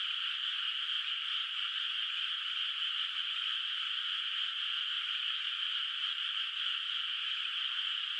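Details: Distant frogs calling at night from a quiet moonlit rice field in the countryside, water not yet planted with rice; a dense, steady, unbroken chorus with no single croaks standing out and no other sounds.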